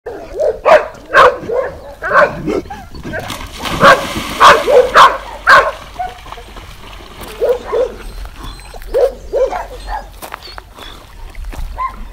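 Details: Dog barks in a mixed compilation: short, sharp barks come in quick bursts, loudest in a run near the middle, then quieter scattered barks toward the end.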